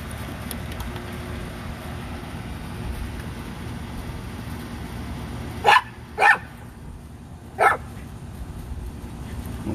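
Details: Playtime barking from Rat Terriers Bandit and Jewel in the back yard, three brisk yaps, the first two close together and the third after a pause, against constant low background noise.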